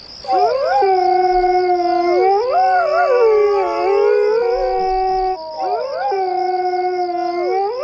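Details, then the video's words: Several coyotes howl together, long overlapping tones sliding up and down and wavering, with a constant high pulsing buzz in the background throughout. "Coyote Sounds!"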